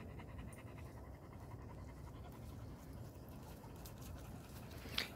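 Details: Kathy, a relaxed female dog resting in the shade after running, pants quietly and steadily in rapid, even breathy puffs throughout, with a faint click near the end.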